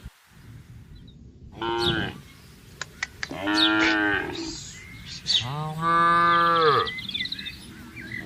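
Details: Tame herded cattle grazing grass in a green field on a peaceful morning: three moos, the first and second higher and rising, the last a long, steady, deep low, with sharp clicks between the calls.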